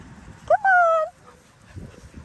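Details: Australian cattle dog puppy Linc at paddock playtime among bigger puppies gives a sharp yelp that runs straight into a sustained, gently falling whine, followed by quiet with soft shuffling sounds.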